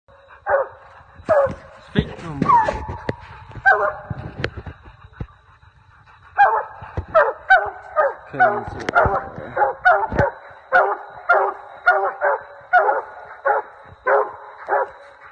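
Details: A Treeing Walker Coonhound bays while coon hunting, loud ringing barks repeating steadily about twice a second.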